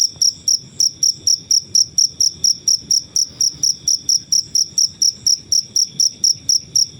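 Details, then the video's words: Cricket chirping in nature, recorded for songbird training: sharp, very high-pitched pulses, evenly spaced at roughly four per second, with only soft low background rustle. "Suara jangkrik alam/Cricket Noises"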